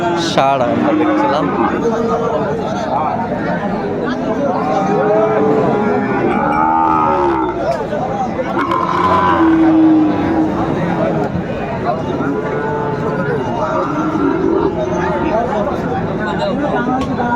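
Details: Sahiwal bull calves at a cattle market on 9 January 2025, where a farmer from Dhaka buys one. Drawn-out lowing moos rise and fall repeatedly over a continuous hubbub of voices and crowd chatter.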